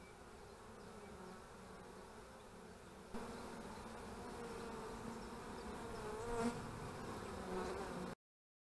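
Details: A continuous hum of honey bees at beekeeping hives on 25 March 2015 grows louder after a few seconds. A passing bee adds a brief higher drone near the end.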